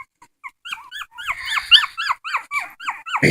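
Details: Crying dog gives high, arched whines in quick succession, growing louder and denser toward the end, with a thump at the close.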